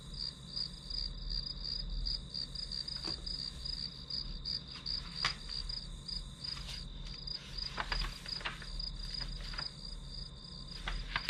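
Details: Shrill, continuous pulsed chirping of grass insects, played as background white noise during study, running through the whole stretch while scattered sharp clicks and taps sound in the foreground.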